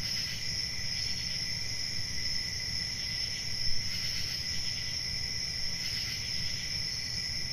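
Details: Crickets singing in a forest on a summer night, an unbroken high-pitched trill with gentle periodic swells, set against a noticeable low background rumble.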